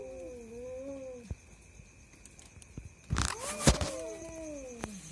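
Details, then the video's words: Two cats fighting at night trade long, wavering low wails, then a sudden harsh burst of hissing and scuffling before the mournful yowling resumes, rising and sliding down. "দুই ভৌতিক বিড়ালের ভয়ানক মারামারি, আমার রাতের ঘুম হারাম করছে এই স্বামী স্ত্রী, cat's fighting video"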